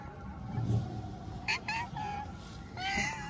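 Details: Homeless tabby street cat in Istanbul asking for love and food: short tonal meows, two brief rising ones in quick succession then a longer drawn-out meow near the end, over low outdoor street rumble.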